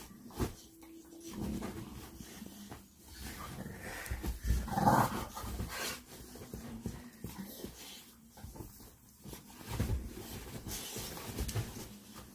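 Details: Bully bulldog play-fighting on a bed indoors, a 'battle on the bed'; low rough growls and panting breaths rise and fall irregularly, with scuffling bursts and a louder rumbling stretch near the middle.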